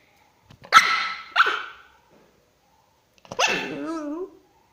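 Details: Female pet dog making a funny sound when infuriated: two sharp harsh vocal bursts followed after a pause by a longer wavering, warbling whine-growl that bends up and down in pitch.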